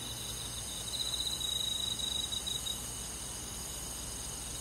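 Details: Crickets and other grass insects on a summer night in the countryside, a thin high trill pulsing rapidly for about two seconds, then fading, over steady soft insect hiss and faint low rumble.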